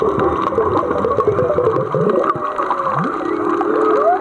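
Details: Several humpback whales sing miles away, heard while snorkelling off Black Rock, Maui: overlapping moans and gliding tones that rise and fall, with gurgling undertones.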